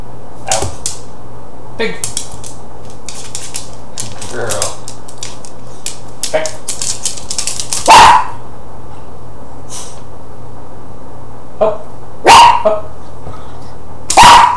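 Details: Female miniature pinscher showing off her tricks gives three short, sharp barks spread over the later seconds, amid a person talking and frequent loud clicks and taps.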